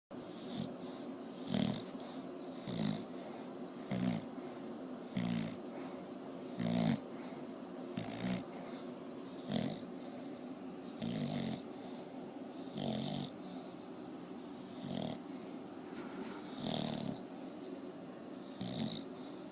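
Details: Sleeping bulldog snoring steadily: rasping, snorting breaths repeated roughly every one to one and a half seconds, each a short rough burst with some wheezing, continuing evenly through the recording.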